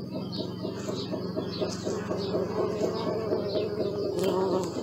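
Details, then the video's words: Close bee buzz, a rich droning hum that rises and falls in loudness over a few seconds, with scattered high bird chirps behind it. "Bee sound"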